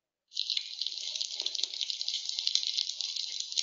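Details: Snapping shrimp in a very dense, noisy nighttime chorus heard from a dock, like frying bacon; continuous high crackling of countless overlapping clicks with no pauses.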